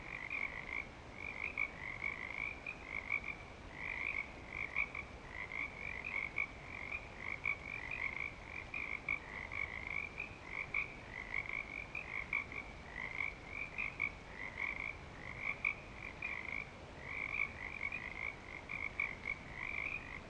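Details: At Clearwater Commons, frogs in breeding season keep up a thick chorus: high trilled calls repeated roughly every one to two seconds, overlapping so the sound never drops out.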